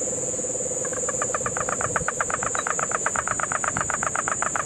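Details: Rattling pulsed call of a Puerto Rican crested toad, about seven clicks per second in a long even series, recorded in Guánica Dry Forest, Puerto Rico, in the September 2007 rains; a cane toad trills low first, insects hum high.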